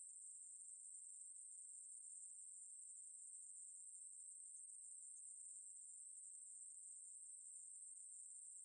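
A Ruspolia conehead katydid sings a steady, very high-pitched, unbroken buzz.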